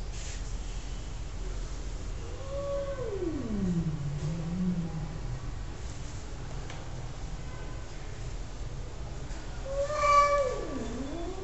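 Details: A cat gives two drawn-out meows: the first slides down from a mid pitch into a low, wavering moan lasting about three seconds, and the second, near the end, is shorter and dips sharply before rising. Steady background hiss throughout.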